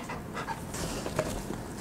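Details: Golden Retrievers, two dogs, panting while waiting for a giant homemade jelly pudding snack made from dog-safe ingredients; steady breathy panting with a few soft vocal bursts and a person's voice nearby.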